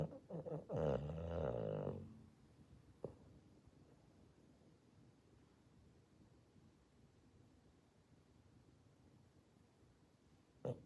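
A Boston Terrier gives one loud, rough, rattling snore, then the room goes quiet.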